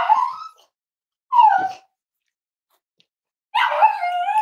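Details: Cavalier King Charles Spaniel puppies, five weeks old, Myra and Remy's litter at Red Barn Cavaliers, kept indoors on a chilly Thursday morning during weight checks: three wavering, tonal whimpers, the last one long and layered, with quiet pauses between them.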